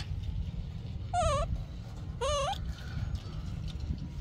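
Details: Baby monkey screaming for milk: two high, wavering harmonic shrieks about a second apart over strong low rumbling background noise and a man's speech.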